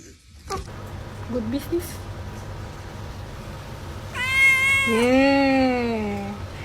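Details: Domestic cat meowing indoors: a few faint soft chirps early, then a long, loud, harmonic-rich meow rising and then falling over about two seconds, with low background hum.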